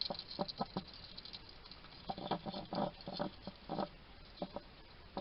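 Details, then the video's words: Chewing and muttering from a wild hedgehog feeding in a small Somerset garden in the UK: quick runs of short, crackly, clicking bursts, several per second, with brief pauses between clusters. "Ever wonder what a hedgehog sounds like? This little guy chatting to himself while he eats."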